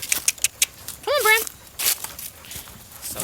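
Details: Hungry sheep of a farm flock at Nature Lane Fiber, called into the holding pen for their evening grain: a single short, wavering mid-pitched bleat lasting under half a second, set among crunching, shuffling and a person calling the animals in.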